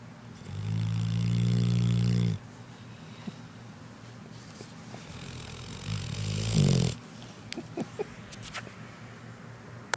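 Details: Sleeping dog snoring: a loud, low, droning snore lasting about two seconds, then softer breathing, a shorter rough snort about four seconds later, and a few faint clicks.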